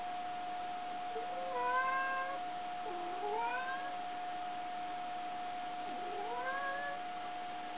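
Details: Asari, a pet cat, talking as if pleading for something, gives three drawn-out meows, some dipping then rising, the last swooping upward, with a constant background hum and quiet room.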